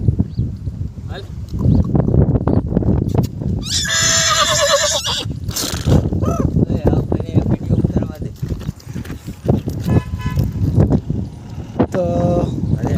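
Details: Mare and foal: one loud, quavering, high whinny lasting about a second and a half midway, then a shorter, fainter neigh near the end, over men talking, background music and hoof clops.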